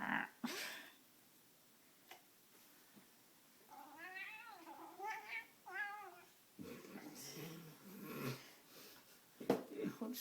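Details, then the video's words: Domestic cat named Rusty Bee, male, getting intense while playing with his string toy indoors; drawn-out wavering yowls with rising and falling harmonics around four to six seconds, followed by thumps, rustling and a brief human voice. "Cat yelling at cat toy"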